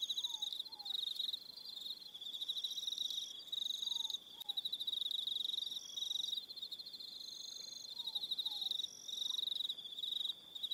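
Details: On Aroha Island in New Zealand, crickets fill the evening with continuous high, buzzy pulsed trills from overlapping callers, punctuated by brief pauses and faint paired falling whistles now and then.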